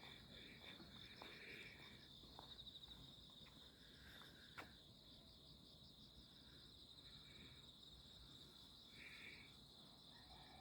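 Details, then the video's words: Midsummer night insects, 11 August 2025, out in the alleys: an unbroken high pulsing trill dominates, with a few short buzzy bursts drifting in and out against a soft background hiss. "풀냄새 벌레소리"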